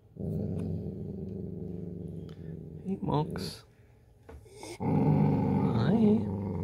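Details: Dachshund called Mocha hoarding chips in a small room, with a sustained low, throaty growl at the start. Brief human voices interrupt before a second, louder rumbling growl resumes to the end.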